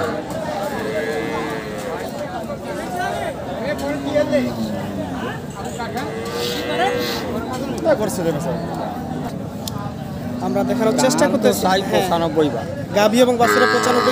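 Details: Cows and calves at the Monday Ambari cattle market near Dinajpur, Bangladesh, including Sahiwal and local cows, heifers and bull calves, on 20 June; several rising-then-falling moos from different animals amid constant chatter of buyers and sellers.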